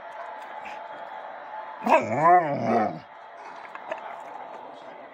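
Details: Pet Bullmastiff Tua whining and 'talking' when he wants to eat: a single drawn-out, arching moan about a second long that swells upward, bends and falls away, surrounded by a quiet steady room hum.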